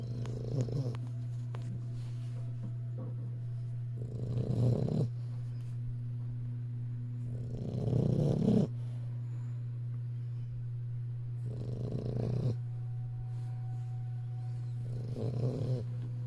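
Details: An English Bulldog puppy snores in slow, rough breaths roughly every four seconds over a steady low hum.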